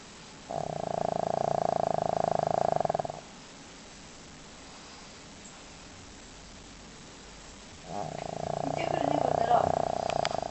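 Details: Pet dog named Leo, deeply asleep and snoring loudly: two long, rasping, buzzy breaths of about two and a half seconds each, separated by roughly five seconds of near quiet, the second snore slightly louder and rougher.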